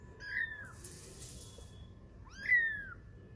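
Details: Young kittens, twenty days old, at play while learning to walk: two drawn-out, high-pitched mews that rise briefly then fall, separated by a short pause.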